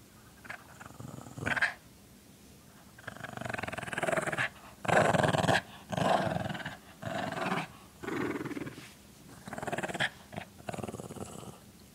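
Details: Small dog giving a big growl: rough, rumbling growls in several bursts of one to two seconds, rising and falling in strength with short pauses between.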